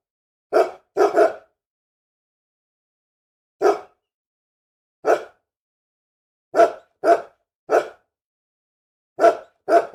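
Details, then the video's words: Angry dog barking: nine sharp, harsh barks in irregular bursts, some in quick pairs, with silent gaps of up to two seconds between them and no other sounds. "SOM DE CACHORRO BRAVO LATINDO - CHORANDO, ROSNANDO BARULHO DE CACHORRO"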